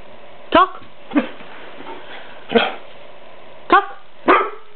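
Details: An 11-month-old male white Siberian Husky, prompted to "talk", argues back with his owner in short, wavering yowls and grumbles; a vocal dog that rarely barks.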